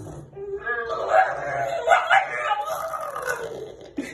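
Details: Rescued dog, saved from the meat trade in China and now adopted, gives a drawn-out, wavering, nasal trumpet-like howl said to sound like an elephant, rising and falling for about four seconds before a short squeaky end note.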